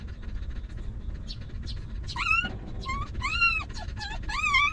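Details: Puppies from a stray mother's litter, sheltered and fed after living in a rough place: clear, pitched whines that bend up and down, repeated about once a second and growing louder toward the end, over a low background hum.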